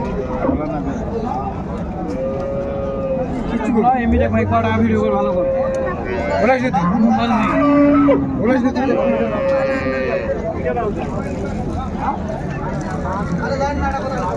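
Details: Improved-breed dairy cows and calves at Raniganj haat cattle market, Dinajpur, 21/1/25: several drawn-out moos, one deep and low, others higher and wavering, rise through constant crowd chatter and bargaining voices.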